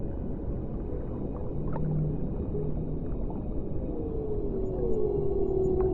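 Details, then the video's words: Whale vocalizing underwater: a faint low note early on, then a drawn-out descending moan sliding gradually lower over several seconds, against a dense rumbling underwater background. "O CANTO RELAXANTE DAS BALEIAS"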